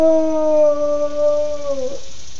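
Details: A pet beagle howls indoors: one long steady tone with rich stacked harmonics, holding level for nearly two seconds before dipping and breaking off.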